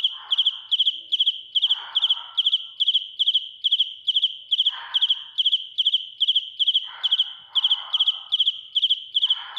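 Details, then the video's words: Real cricket singing loudly, recorded close up: steady high-pitched chirps, each a rapid triplet or quadruplet of pulses, repeating roughly twice a second without break, over intermittent low scratchy rustles. "Cận cảnh dế mèn kêu, gáy inh tai - Real cricket singing"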